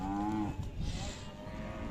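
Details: Khillar cattle at the Athani livestock fair in Belagavi district, April 2024, offered for sale: a short low harmonic moo in the first half-second, then fading into crowd murmur and fairground noise.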